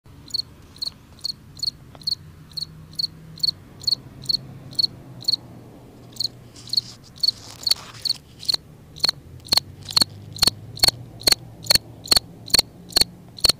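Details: A cricket singing in a front yard: a steady series of short, high chirps, each a quick doubled pulse, repeated roughly every third of a second, with a brief louder rustling disturbance midway and faint low hum underneath.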